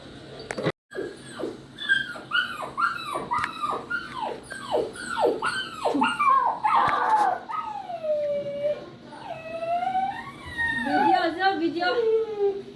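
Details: Poodle puppy crying and yowling: a run of short, rapidly repeated whimpers, each falling in pitch, followed by longer rising and wavering whines; a sharp click near the start and faint background music.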